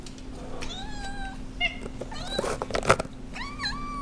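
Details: Abyssinian cat meowing indoors while being offered treats, several short rising and falling harmonic meows, some drawn out, with a person's voice talking about treats and a steady low hum in the room.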